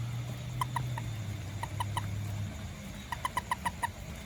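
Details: After rain a little toad searches for ants near a house and garden, giving bright, short piping notes, first spaced singly, then a fast run of six, with a low droning hum underneath.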